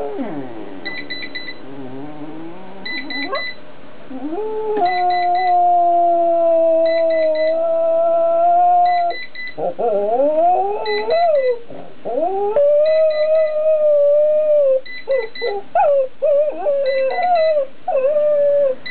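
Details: Pet dog Franky singing indoors: long, wavering, tonal howls that slide up and down, some notes held for seconds, with short bursts of high electronic beeping repeated overhead.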